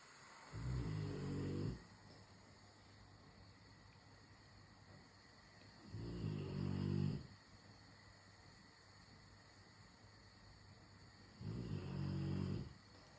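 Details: Rottweiler snoring while it waits for dinner to be made: three deep, rumbling snore breaths, each about a second long, recurring roughly every five seconds over a steady low background hum.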